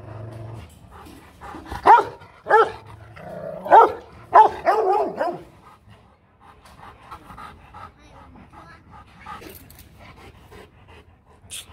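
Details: Rottweiler guard dog at the Rottweiler Gervi kennel giving four loud, deep barks in quick succession over about three seconds, then quieter rustling and handling noise with faint speech in the background.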